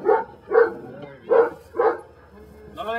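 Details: Brujo, a Belgian Malinois from the des Champs kennel in Mexico, working in personal-protection control training, gives four deep, loud barks spaced about half a second apart, followed by a brief quiet stretch.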